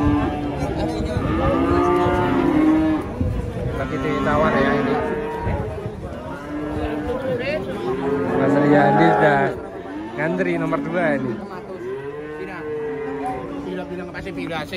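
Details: Young calves in Indonesia mooing repeatedly, many drawn-out, arching moos overlapping from several animals, with background music and crowd chatter.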